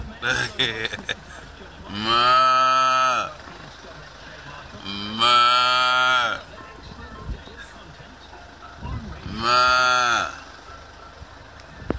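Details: Cows answering a man calling the herd give three long, even, harmonic moos, each over a second long, spaced about three to four seconds apart, with brief talking at the start and quiet outdoor noise between.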